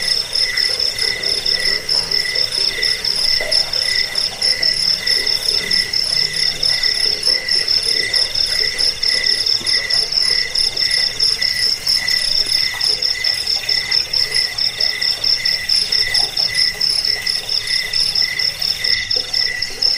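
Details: Insistent cricket chirping, meant for repelling rats and teaching songbirds: a continuous high, metallic pulsing that rises and falls in short groups across twenty seconds, with a faint overlapping chorus of further chirps.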